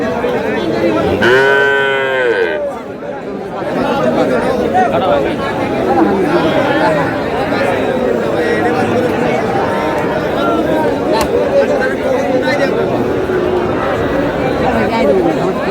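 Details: Sahiwal bull calves at a cattle market in Thakurgaon, Bangladesh, on 14 March: one loud, arched, harmonic moo near the start, then steady crowd chatter and talking voices for the rest of the recording.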